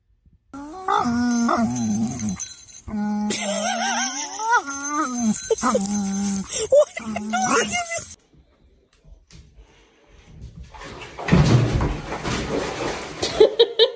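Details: Angry dog, one of a set of funny dog reactions, making a run of short whining yelps that bend up and down in pitch, broken by brief pauses, then silence and a noisy clatter.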